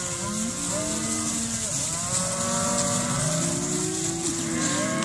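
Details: Auctioned calves weighing 215 kg, a crowd of overlapping long moos that bend and slide in pitch, over constant background hiss and rumble.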